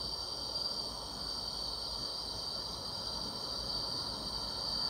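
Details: Summer-night grass insects keeping up a continuous high-pitched ringing hum with no pauses, a thinner shriller layer sitting above, over faint low background noise.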